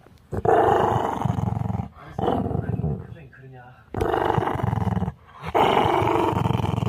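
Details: Ten-year-old Maltese named Chorong growls at home as her owner siblings argue. Three long, harsh, rattling growls, each about one and a half seconds, separated by short pauses, with people talking around them.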